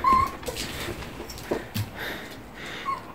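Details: Puppy that got shut in a room while playing and cried all day, being soothed, recorded 30 May 2018; brief high whimpers at the start and end, separated by soft thumps and rustling in a small room.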